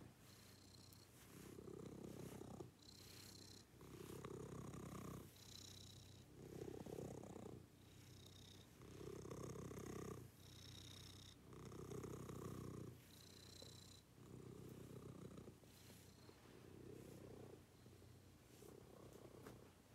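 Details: Domestic cat purring through its morning routine: a deep, pulsing rumble in clear alternating inhale and exhale phases, each lasting about one and a half seconds, loud and steady throughout.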